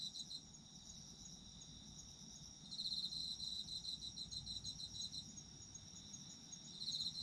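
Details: Autumn insects in a quieter chorus. Steady high-pitched shrilling persists throughout, with a louder pulsed trill swelling in the middle and again at the end over a soft background hiss.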